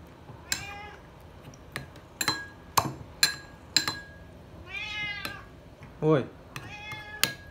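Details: Srintil the cat yowling loudly while begging for food: a series of long, harmonic meows that bend up then down, interrupted by sharp metallic clicks and clatter of dishes, with brief human voice nearby.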